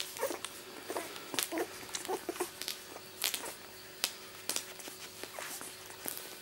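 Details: Two-week-old miniature Labradoodle pups from Rosie's litter born 31 July 2009, indoors while nursing: scattered thin whimpers and brief squeaks between suckling clicks and rustles, over a faint steady hum.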